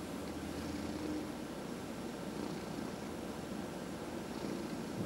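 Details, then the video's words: Cat purring during a massage, a continuous low, buzzing rumble with faint soft hiss-like breaths and a brief low hum near the start. "Four Purring Cats — Cat Massage"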